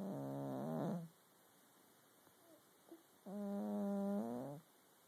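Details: Domestic cat asleep and snoring, two drawn-out harmonic breaths about a second long with a quiet pause between them, a soft click or two in the gap, low background hum.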